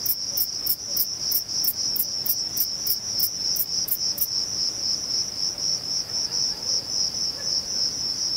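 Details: Male Thyreonotus corsicus bush-cricket singing in Vilella, Sueca: a run of fast, regular high chirps over about four seconds gives way to a lone continuous shrill buzz.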